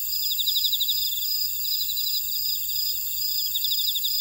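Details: Grass insects in a buckwheat field at Ora-dong, Jeju City, on volcanic Jeju Island, South Korea: rapid pulsed chirping trills over a steady shrill high-pitched hum from many callers, with no other sounds.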